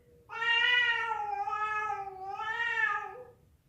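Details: A cat, said to be fighting or a female calling a male, gives one sustained, nasal yowl lasting about three seconds, swelling twice in loudness and wavering in pitch before fading, with no other sounds.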